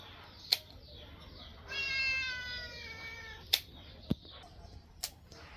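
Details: Domestic cat meowing during an ear cleaning session: one drawn-out, harmonic-rich meow of just under a second, surrounded by sharp clicks and handling noises.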